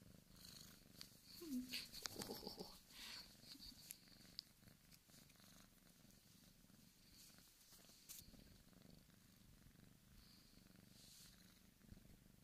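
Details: Continuous low purring from Dan, a large male Bengal kitten born 14 August 2015 at the Sunspot Charm cattery. The soft, even, rapidly pulsed rumble runs throughout, with some rustling noises early on.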